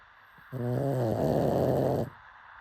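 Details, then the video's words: Sleeping pug gives a single long, rattling snore of about one and a half seconds, low and buzzy, starting with a clear vibrating tone and turning rougher toward the end. "Pug snoring"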